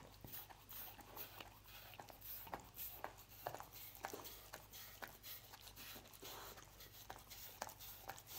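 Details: Lucy the dog chewing roast beef inside a small room, sharp broadband chomps and smacks spaced unevenly about every half second, soft low hum in the background.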